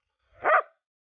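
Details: Rough Collie named Keke, working as a herding dog outdoors under a cloudy sky after rain: a single short, sharp bark of under half a second, then silence.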